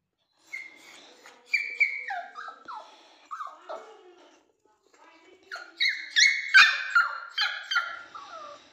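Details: Indoors, a toy Pomeranian cries for its owner with a string of high-pitched, falling whines and yelps, repeated in two bursts separated by a short pause.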